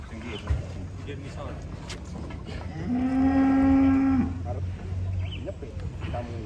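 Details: Very large, agitated cow being loaded onto a truck lets out one long, steady, low moo lasting over a second, among shuffling, knocking noises and background voices.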